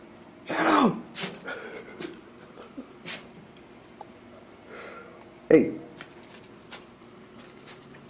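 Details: A pet dog sneezing when happy, reacting whenever something good happens: two sharp, breathy sneeze bursts, one near the start and another about five seconds later, with quiet indoor rustling and soft handling noises between them.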